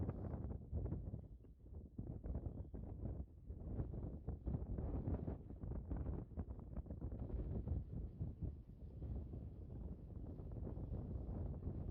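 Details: Heavy wind buffeting the microphone in an outdoor field, with rough low rumbling throughout and no clear animal voice.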